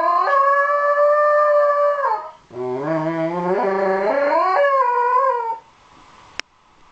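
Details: Howling Shetland Sheepdog, Miko, responding to a recording of his own voice; a steady high howl followed by a lower, stepping, rising howl, then quiet with a sharp click.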